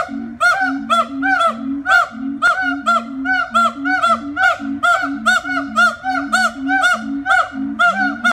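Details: Siamang gibbons howling: loud, rhythmic hooting in rapid rising and falling notes, two voices interleaving about twice a second, booming and continuous throughout.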